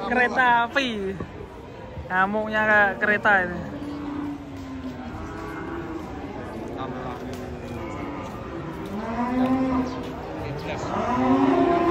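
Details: Cattle being unloaded from a truck, one stepped on by a companion as they come down. Several loud, harmonically rich moos with falling tails in the first seconds, then longer, lower drawn-out moos overlapping one another.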